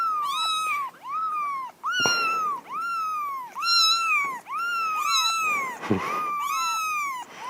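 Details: Kittens and cats in a compilation giving rapid, repeated meows, about eight or nine short arched cries in quick succession, some overlapping, loud and harmonic, with a couple of sharp clicks or knocks between them.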